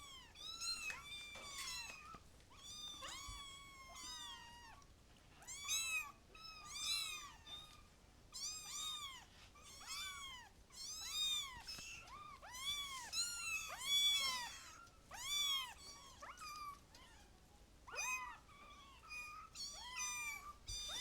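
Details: Kittens mew nonstop, several at once, in short high arching cries that bunch in bursts roughly twice a second, some rising and some falling, with almost no background noise.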